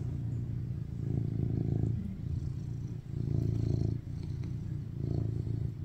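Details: Affectionate rescued tuxedo cat BabyCharlie, male, purring on his owner as he seeks cuddles: a steady low rumbling drone rising in three roughly one-second waves, each separated by a short quieter breath.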